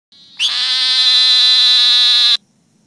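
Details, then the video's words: A Great Plains narrow-mouthed toad (Gastrophryne olivacea) in Oklahoma gives a single high, nasal buzz lasting about two seconds. "Great Plains Narrow Mouth Toad Call"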